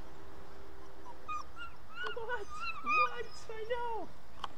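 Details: German Shepherd puppy at its first training session; a string of high, thin whines, some bending upward and others drooping at the end, several in quick succession.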